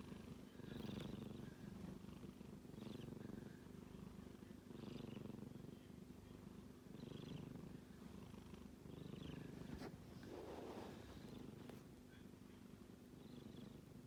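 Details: Sleeping kitten, one of six rescued cats in a home in Japan, snoring softly. Low rumbling breaths rise and fall in a steady rhythm, one swell about every two seconds, over quiet room noise.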